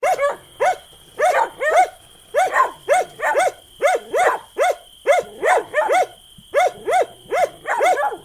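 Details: Dog barking in quick, sharp, high-pitched yaps, often in pairs, about seventeen barks in eight seconds at a steady rhythm, over a faint constant high whine.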